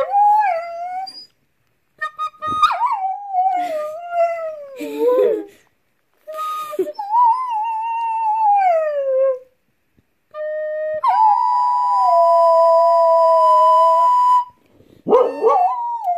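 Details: A male Basenji dog sings along with recorder music in wavering, yodel-like howls that slide up and down, joined by steady recorder notes.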